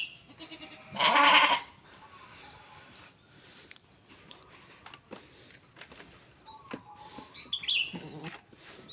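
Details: Goat held for sale at a livestock trader's home in Mulyorejo, Java, among Javanese goats and fat-tailed kibas stock; one loud, rough bleat lasting about half a second, then quiet yard noise with faint scattered sounds.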